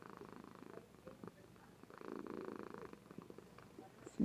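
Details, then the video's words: A sleeping female Somali cat purring indoors, captured on a webcam: a soft, low rumbling purr that swells and fades in slow breathing cycles, with a woman speaking quietly nearby and a sudden knock at the end. "Kitty purrs and sleeps with gusto!!"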